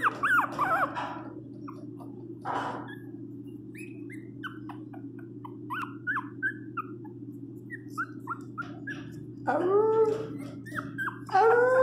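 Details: Pinscher named Teco crying loudly while given flea medicine indoors: high, bending whimpers and yelps open the clip, faint short squeaks scattered through the middle, then louder drawn-out wailing cries near the end over a steady low hum.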